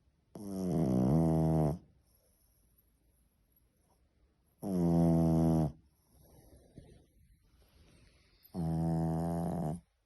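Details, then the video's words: Three-month-old French Bulldog puppy named Semyon snoring indoors: three long, loud, low rasping snores about two seconds each, separated by quiet pauses of roughly three seconds with soft breathing between. "Как храпит французский бульдог"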